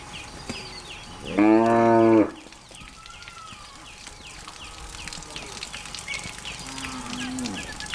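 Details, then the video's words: Cows in the mountains heading into the forest to graze on green grass; a single loud, harmonically rich moo lasting under a second, then quieter background with repeated chirping insects or birds and faint distant lowing. "Cow going to forest - Animals in Mountain - grazing and mooing"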